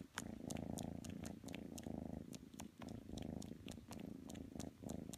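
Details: Matsumoto the kitten purrs loudly while seeking to snuggle with Tanka the pit bull; a close, low rumbling purr in breath-paced bursts of about a second, with light clicking noises.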